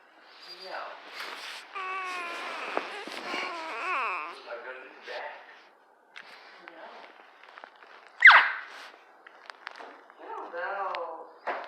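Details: A dachshund under a blanket grumbles in wavering, moaning whines, annoyed at being poked, while a woman talks to it.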